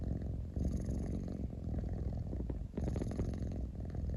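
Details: Pet cat giving a deep, grainy purr at close range, a low vibrating rumble with a short dip before it picks up again.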